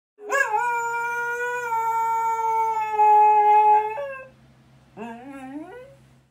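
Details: English Cocker Spaniel dozing at home while its paw fur is tickled: a long, steady, high whining howl held about three and a half seconds, then a shorter whine rising in pitch, over a faint low hum.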